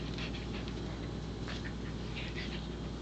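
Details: Palette, a female Pembroke Welsh Corgi, playing a game of putting a toy back into a box to earn jerky treats, pants in quick breathy bursts over a steady low electrical hum.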